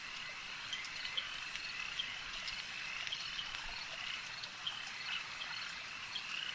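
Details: Frogs at a lake: a dense, unbroken chorus of overlapping high croaks forms a steady ringing wall of sound, dotted with brief sharper clicks that pop out now and then.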